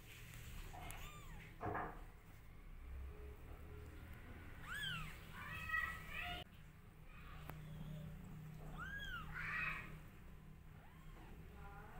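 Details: Mother cat nursing her two-day-old newborn kittens, feeding them milk indoors; thin, high, arched mews that rise and fall, several short ones in a loose series over a low steady hum.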